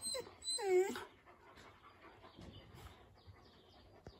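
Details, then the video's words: East European Shepherd puppy barking at a husky; one drawn-out, high, wavering yelp near the start, then near quiet with faint rustling. "Щенки лают на хаски"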